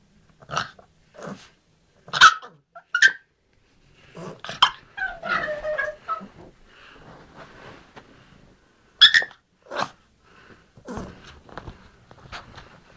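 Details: Pet dog making gremlin-like noises: short grunting and growly bursts with sharper yelps near two, three and nine seconds, separated by brief silences, plus a longer rough snarling stretch in the middle.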